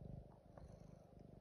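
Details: Purring male house cat cuddled at home while his owner sings to him, a deep, even, throbbing rumble with quick regular pulses and a faint voice in the background.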